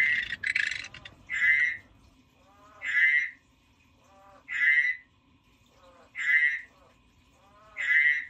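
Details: A crackling scrape opens, then a frog croaks five times at steady intervals of about one and a half seconds, each buzzy pulsed note led by a faint lower grunt.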